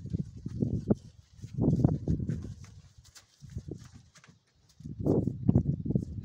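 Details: Stallion brought to a mare, giving low, rumbling, throaty bursts in four separate groups, each lasting about a second, with soft rustling between them.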